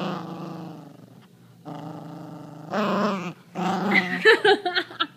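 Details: Chihuahua indoors playing with a sock stolen from the hamper, growling steadily: long low rumbling growls in three bursts, then a tenser, higher, choppy stretch of short snarling growls and yips toward the end.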